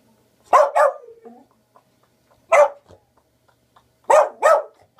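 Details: Dixie, a Boglen Terrier (Beagle and Boston Terrier cross), gives three bursts of sharp barking over five seconds. The first and last bursts are quick doubled barks, and a softer trailing whine follows the first pair. Quiet room.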